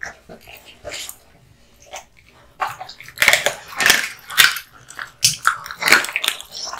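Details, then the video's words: Kotetsu, a male American Bully, gnawing raw meat and bones indoors; quiet start, then rapid wet crunching and tearing bites about every half second, growing louder toward the end. "Dog eating hung raw meat and bones"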